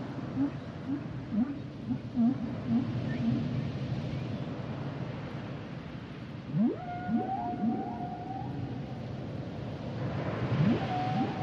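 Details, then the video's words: Humpback whale singing underwater: a run of quick low upswept chirps, then a rising whoop leading into long level whistled tones and sliding moans, all over a constant deep ocean rumble. "Sounds and Songs Of The Humpback Whales"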